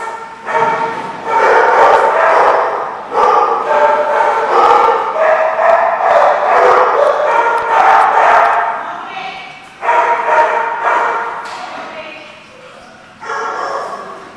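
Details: Several dogs at The Barking Lot on 19 January 2015 bark and yip in overlapping, continuous bouts, fading briefly near the end before a last burst.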